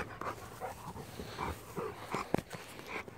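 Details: Pet Rottweiler panting on a daily walk in a field, quick rhythmic breaths repeating steadily, with a single sharper huff near the end and faint outdoor background.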